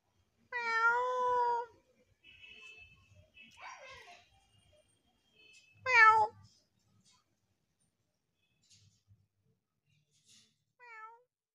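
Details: Frightened stray kitten giving a few loud, drawn-out meows, each starting high and bending down, separated by quiet gaps with faint rustling, the last meow shorter and softer.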